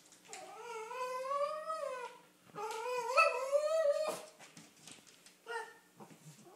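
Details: Snickers, a female Cavalier King Charles Spaniel, whines eagerly for a car ride, with long rising and falling tonal whimpers and a shorter yelp near the end, indoors.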